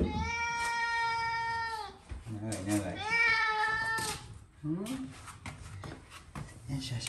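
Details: Cat outdoors on a walk calls with a long, steady meow lasting about two seconds, then a second rising-and-falling meow, followed by short murmured sounds and faint rustling.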